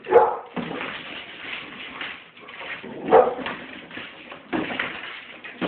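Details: Monkey the pit bull, scared of balloons, gives two sharp yelping cries a few seconds apart amid softer whimpering and rustling, with a person speaking faintly.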